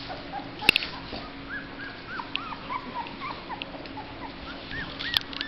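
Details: Black Labrador Retriever puppies just over two weeks old, thought to be hungry, recently started on mush: thin arched whimpers and squeaks repeated through the clip, with a couple of sharp clicks and a steady low hum.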